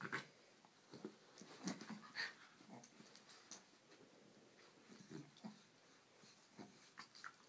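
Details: Two pet dogs, Annie the Shih Tzu and Waldo the miniature Schnauzer, playing together: short soft growls, huffs and snorting breaths come in irregular bursts, with scattered clicks and scuffling between them.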